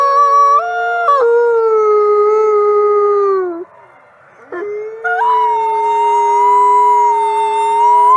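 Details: Wolves howling together: layered sustained howls at different pitches hold and then fade, a short quiet gap follows, and new rising howls resume and hold steady.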